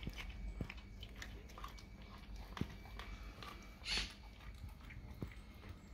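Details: A dog works through raw cow tongue in a small room, giving moist squelching chews and scattered sharp clicks, one brief louder slurp-like burst near the end.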